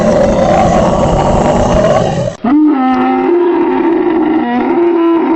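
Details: Camels yelling and roaring; a harsh, noisy bellow breaks off abruptly, then a drawn-out, droning groan holds a low pitch, dips and steps slightly higher toward the end.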